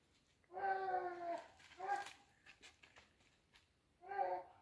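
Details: Hunting dogs chasing a wild boar, giving drawn-out harmonic baying cries: a long one, a short one, then another after a pause, over a faint rustling background.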